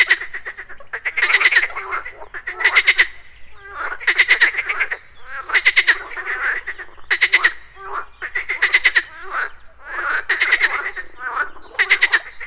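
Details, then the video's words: Croaking frogs at a pond in the morning, insects buzzing too: rhythmic bursts of rapid rattling pulses, about one every one and a half seconds, with a steady chorus beneath. "MORNING FROG POND - Nature of Relaxation, Nature Sounds, Frogs Croaking"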